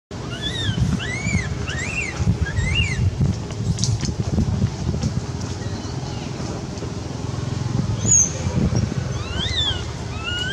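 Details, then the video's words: Quinton the cat, scared and begging for milk, gives short arched high meows in quick bursts early on and again near the end, over a steady low engine-like rumble. "Poor Quinton begging for milk."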